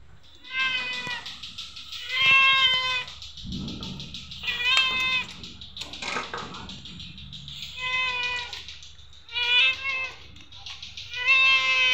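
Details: Hungry cat, a neighbour's pet, meowing while being fed: a series of loud, drawn-out harmonic meows, some rising then falling, repeated every one to two seconds with brief pauses and faint rustling between calls.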